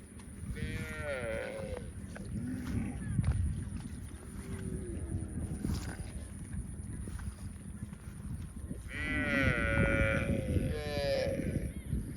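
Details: Young calf giving several short harmonic calls, two bursts near the start and a longer pair near the end, over steady low rumbling background noise.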